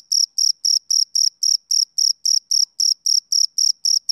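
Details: Close, crisp chirps of a male cricket on a summer evening: evenly spaced high, buzzy pulses at roughly four per second against complete quiet.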